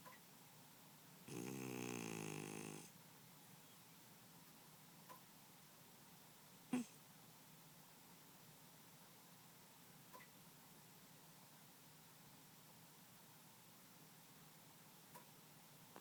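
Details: Pet cat Momojiro snores in deep sleep: a single drawn-out, buzzy breath of about a second and a half with layered tones near the start, then a long stretch of near-silence with a few soft clicks.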